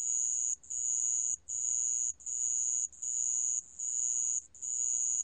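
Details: Sand cricket from a 2020 National Institute of Biological Resources recording: a high, thin, steady trill in bursts of about three quarters of a second, each split by a brief pause, repeating evenly with quiet faint low background.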